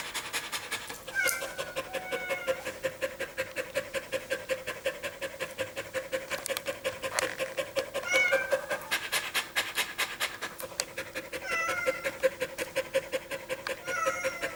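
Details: Household dog in summer heat, panting fast after a run, 21.4.2016: steady rapid rasping breaths, roughly 167 per minute, slightly uneven, with occasional faint high chirps in the background.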